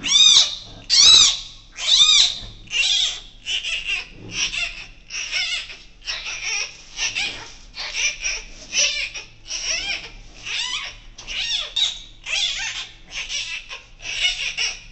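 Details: Giant panda cub born to Wu Wen on Friday evening, 12 July 2024, at Ouwehands Dierenpark, kept with its mother in the birthing den; shrill, harsh squawking squeals repeated steadily, roughly once a second, throughout.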